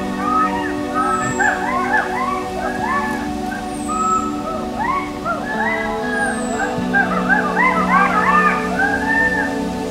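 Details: Western hoolock gibbons in the forest canopy of Hollongapar Gibbon Sanctuary, Assam, India, call in a loud chorus of rising and falling whoops that carry far, over soft background music.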